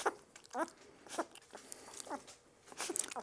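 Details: Two-week-old puppy fussing during its first deworming with butterscotch-flavored dewormer, given too fast; four or five thin, high, bending whimpers spaced about half a second to a second apart, with soft handling sounds.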